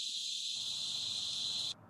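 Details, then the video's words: Heavy line of cicadas in a night field recording on Bray Road, a steady, dense high-pitched hiss that cuts off abruptly near the end, with faint low crackle beneath. "cicada. You hear that line of cicada, right?"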